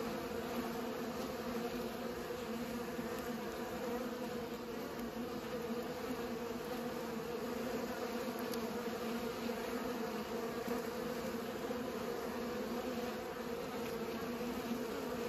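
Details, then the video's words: Steady buzzing of pollinating bees, a rich droning tone sustained without a break, with occasional faint clicks. "Bees pollinate"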